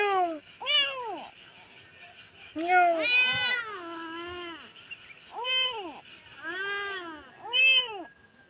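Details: Distressed stray kittens crying for their lost mother: repeated arched meows, several short and clipped, one long wavering wail in the middle, spaced by short quiet gaps.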